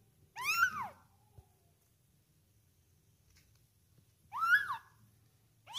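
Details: One-month-old kitten being fed, giving two loud, sharp, rising-then-falling meows about four seconds apart, with near silence between them indoors.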